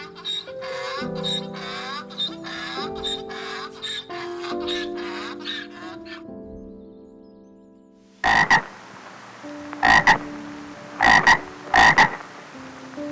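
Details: Frog croaking in short, harsh, rasping bursts, single and paired, roughly once a second in the second half, after several seconds of tonal background music that continues beneath the calls.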